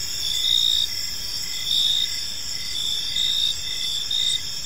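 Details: Gentle evening chirping of crickets in a serene park, a bright high trill swelling in short bursts roughly every second, over a quiet low hiss of ambient noise.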